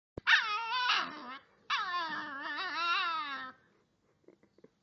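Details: Five-week-old Great Dane x Bullmastiff puppy whinging to be let inside: two long, high, wavering whines with rich harmonics, the first rising then falling, the second drawn out nearly two seconds, followed by a few soft clicks.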